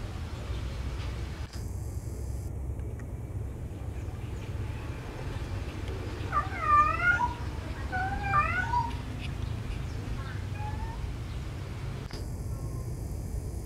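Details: Lovesick domestic cat calling for a mate of the opposite sex. Several drawn-out, wavering meows with bending pitch come between six and nine seconds, then a brief fainter cry, all over a steady low rumble.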